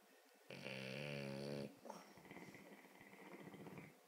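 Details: A French Bulldog snores in its sleep, one drawn-out buzzy, vibrating inhale lasting over a second, followed by a small snort and a longer wheezy, rasping breath out.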